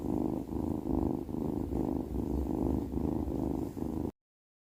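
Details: Cat asleep, making a loud, low, throaty rumble in even breathing pulses, roughly two per second, steady and close, ending abruptly in silence.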